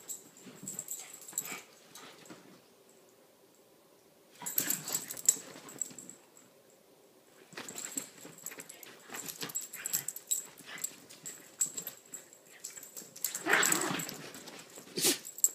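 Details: Small pet dogs Lilah, a blonde Chiweenie, and Minnie, a Rat Terrier and Chihuahua mix, playing together, a rare sight. Bouts of huffing, snorting growls and scuffles separated by quiet pauses, ending in a louder rough growl.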